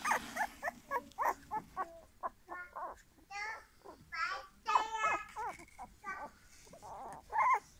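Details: Golden English Cocker Spaniel puppies whimpering and yelping: a rapid run of short, high, tonal cries, several overlapping as if from more than one pup, with longer wavering whines and a few louder yelps toward the end.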